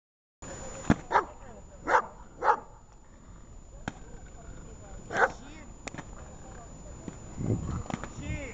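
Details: Dog barking during protection training: five sharp, loud barks, a quick pair near the start, then a pair and one more after a pause, with a man speaking, ongoing background noise and a steady high whine.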